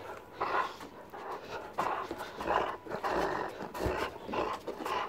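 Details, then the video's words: Doberman Pinscher named Dante playing tug of war with a rope against a person; rhythmic breathy, rasping bursts come roughly every second and rise and fall in loudness, with no speech over them. "Doberman Pinscher Tug of War Rope Battle!"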